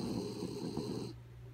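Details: A sleeping dog named Kaya Boo snores; a rough, rattling inhaled snore that cuts off after about a second, leaving a low background hum.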